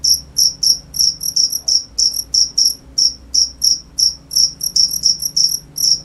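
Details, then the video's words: Chirping cricket giving sharp, high-pitched trilled chirps at an uneven pace, sometimes single, sometimes in quick pairs or triplets; soft low hum behind. "cricket sound"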